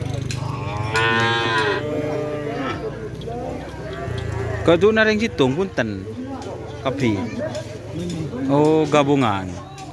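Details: Cattle at a karapan sapi bull race on Sapudi Island: drawn-out, harmonic-rich lowing calls with wavering pitch, several overlapping, mixed with crowd voices and background music.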